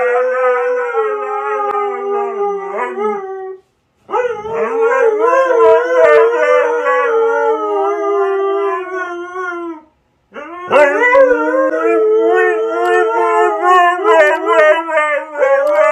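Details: Extended husky howling in three long phrases split by brief silences, each a warbling, harmonic-rich wail that rises and falls, with faint clicks over the louder final phrase.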